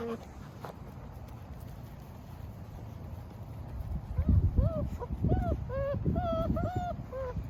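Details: German Shepherd litter of 8 pups with their mother: low muffled rumble at first, then after four seconds a burst of high, bending whimpers repeated rapidly, loud and clear, overlapping one another.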